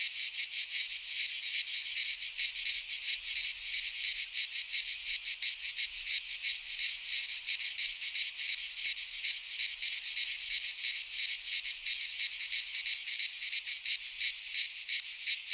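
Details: Midsummer chorus of cicadas in a Greek pine forest: steady, shrill, high-pitched rasping that throbs in rapid regular pulses throughout, with nothing else audible.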